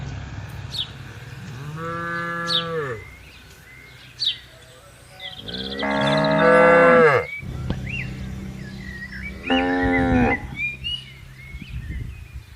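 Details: ['Tame cattle wandering freely and grazing in a large green field: three separate moos, the middle one loudest and longest, with scattered high bird chirps in between.']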